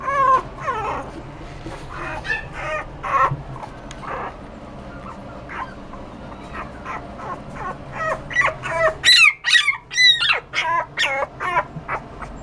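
Toy poodle puppies whimper and yip in quick, high, wavering cries that bend up and down.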